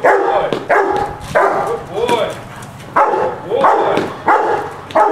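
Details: During its first training session, a Rottweiler barks at a decoy to guard an object while the owner stands near. Hoarse barks come in clustered groups with short pauses, and human speech is audible.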